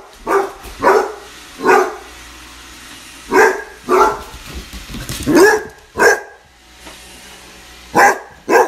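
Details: Young Basset Hound confronting a Roomba, letting out a run of about ten loud, punchy barks at irregular intervals, some in quick pairs, over a faint background hum from the robot vacuum.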